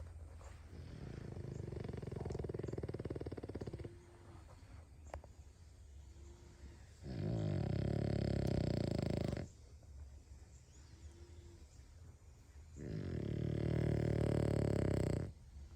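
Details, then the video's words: Loud snores from a sleeping dog, deep harsh rumbles of about two to three seconds each, separated by quiet pauses with faint breathy whistles. "This Dog Can Snore REALLY Loud!"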